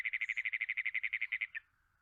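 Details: A Great Plains toad gives a long-held, harsh, mechanical pulsed trill lacking musicality, like an engine that won't turn over.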